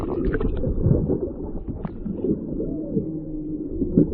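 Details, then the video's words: Whales off Maui, picked up by a microphone lowered into the ocean from a whale-watching boat: a low arching moan that rises and falls, over water gurgles, boat rumble and people talking. "listening for whales"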